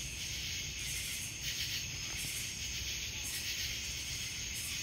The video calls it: Cicadas sounds